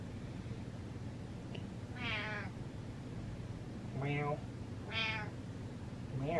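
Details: Domestic cat meowing indoors: three drawn-out, high meows about a second apart, each bending up then down, with a quieter start of another at the end over a low steady hum.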